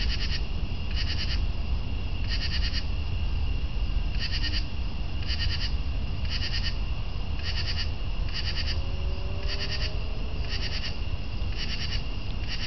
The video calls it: Northern True Katydid audio